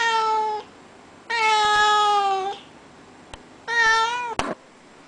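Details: Indoor Russian Blue cat asking to be let outside, giving three loud, harmonic meows about a second apart, the middle one longest and slightly falling, with a few soft clicks between calls.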